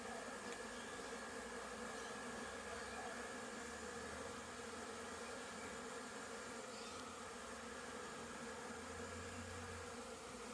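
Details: Busy honey bees making orientation flights around their hive in wet weather after rain, 22 September 2022; a continuous dense hum of many bees with a steady droning tone throughout.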